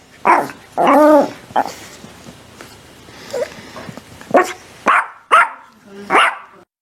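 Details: Dog barking in a series of short, sharp barks with clear harmonics, some single and some doubled, separated by quiet gaps over about seven seconds.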